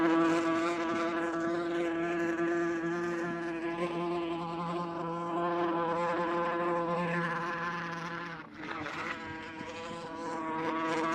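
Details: Wasp's droning flight buzz, a harmonic-rich steady hum that shifts slightly in pitch, dips briefly near the eighth second, then returns to full strength.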